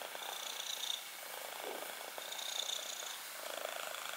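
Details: Black kitten's purr heard close, an even vibrating rumble pulsing roughly every two seconds as it breathes in and out.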